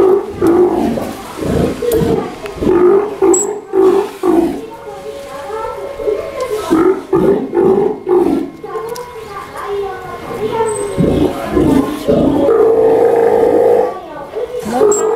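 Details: One-year-old captive Steller sea lion at an aquarium in Ise: a series of short, deep, harmonic barking roars about two per second, then a longer drawn-out moaning call near the end.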